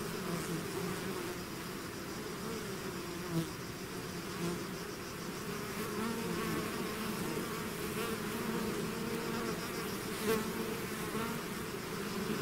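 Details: Honeybee swarm out of its hive, a dense steady drone of overlapping wingbeats with hum bands near 200 and 400, brief louder passes of single bees flying close, continuous throughout.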